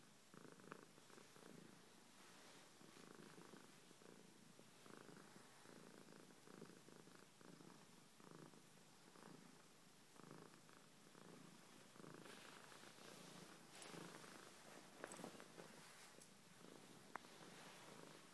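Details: Georgia the cat gives a soft, continuous rumbling purr in rhythmic breath-length pulses, quieter and more muffled, with a few sharp clicks and rustles in the second half.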